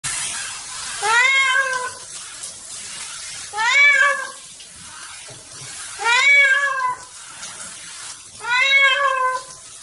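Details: Pet cat making a loud fuss at bath time: four long, drawn-out wailing meows about two and a half seconds apart, each rising then falling, over a hiss of background noise.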